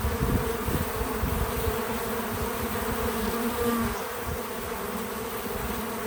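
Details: Bees at a feeder on a small farm outdoors: a dense, steady humming buzz with rumbling low background noise. The sound is slightly louder in the first four seconds, then eases.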